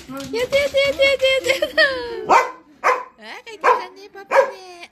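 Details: Labradoodle welcoming its dad home with hip-wagging excitement, giving a run of high, wavering whines and yelps that rise and fall, with short barky bursts toward the end and background music.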